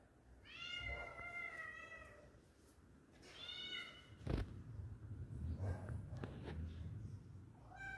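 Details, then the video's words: A kitten feeling alone inside a house gives two clear descending meows in the first half, followed by knocks, rustling and faint fainter cries, with a short mew at the very end. "cute kitten searching friends inside my home // innocent kitten feeling alone"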